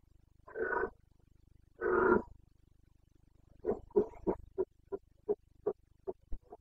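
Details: Carpathian red deer stag roaring in the Bucovina mountains during the breeding season rut, late September: two long hoarse bellows, then a rapid series of about ten short grunting barks over a steady low hum.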